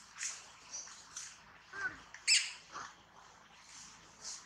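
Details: Baby monkey Tobais throws a crying tantrum as its mother Toma treats it roughly: short shrill squeals and screeches, one high tonal wail dipping then a harsh burst near mid-clip, with soft background noise between cries.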